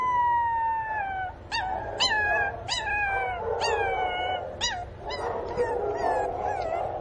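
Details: A puppy Pinscher cries out for its missing mother. A long, sliding whine gives way to a series of sharp, high yelps, each dropping quickly in pitch, repeated about every half second over steady lower whining.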